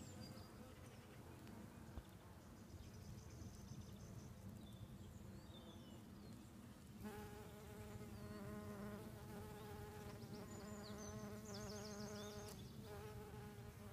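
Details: A buff-tailed bumblebee pollinating apple trees in an orchard in Asturias hums with a deep, steady wingbeat buzz that swells fuller and richer as it flies nearer. Faint bird chirps sound in the background.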